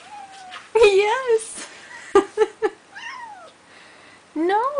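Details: Snow-covered pet cat Neo, eager to go outside after his first sight of snow, gives loud wavering meows at the start and end, with a person's voice talking to him in between.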